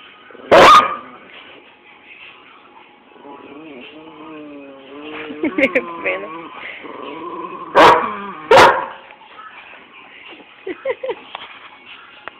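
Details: German Shepherd and Miniature Pinscher dogs interacting, recorded on an Android phone; scattered sharp barks, one near the start and two close together later, with whining, yelping tones and human voices between them.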